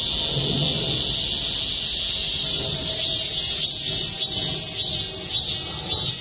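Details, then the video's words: A chorus of cicadas in parking-lot trees at Gwangmyeong City Hall, South Korea. A continuous shrill drone carries soft rhythmic pulses, with faint low sounds beneath it. "맴맴맴 매미소리. 매미들의 합창"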